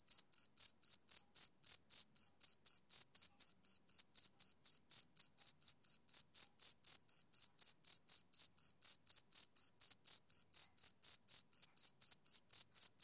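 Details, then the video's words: Rhythmic chirping of a male cricket on a summer evening, bright shrill pulses arriving roughly four per second in an unbroken, regular train; no other animals, wind or voices are heard. "Cricket Chirping Sound Effect"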